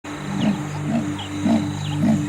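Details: A wild female leopard on the savanna calls to attract a male, a call that sets off a fight between a territorial male and an intruder. There are four hoarse, rasping grunts about half a second apart over a steady musical drone.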